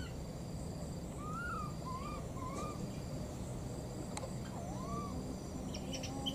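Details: Calls of two baby monkeys in the wild, looking for their mother: a series of high arched whistled cries, some in quick pairs, spaced by pauses, with occasional clicks over steady hiss.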